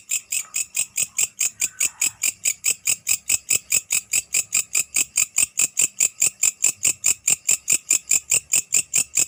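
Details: A grasshopper (belalang) at night produces a loud, regular series of shrill buzzy chirps, about two or three each second, with a brief softer lower sound near the start.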